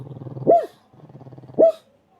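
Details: A pug alternating between snoring and barking: low rumbling snore breaths, then a short sharp bark, repeated twice.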